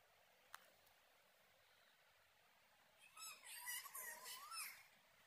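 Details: Pet cat in Sri Lanka giving a short run of wavering, harmonic meows, rising and falling over about a second and a half after a quiet start with a single sharp click; faint background hum.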